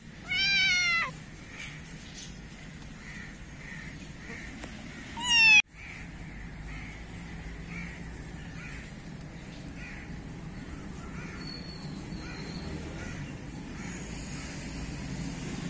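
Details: Black kitten meowing in a garden in Pakistan: a loud, wavering, high meow at the start and a second abrupt, strained meow about five seconds later, then quiet hum with faint distant chirps.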